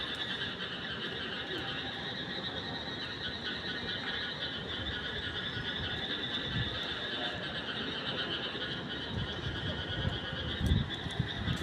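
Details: Night-time frog chorus: many overlapping callers form a continuous, shimmering high trill that never breaks, with low background rumble and a couple of brief louder knocks near the end.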